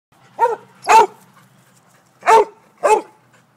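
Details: Basset Hound barking while chasing birds: four loud, deep, rough barks in two pairs, each short and broad, with quiet gaps between.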